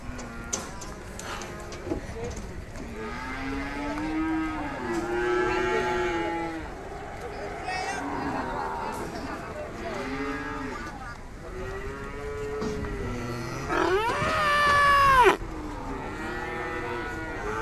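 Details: Young calf mooing repeatedly: several drawn-out, nasal harmonic moos, some wavering and one higher, louder bleat-like call near the end, with faint background voices.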